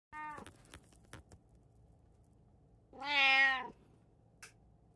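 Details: Domestic cat from a household of three cats (a tabby, a Munchkin and an Abyssinian), recorded 16 June 2024 at home: a brief clipped meow, a pause with soft knocks, then a loud drawn-out whining meow rising and falling.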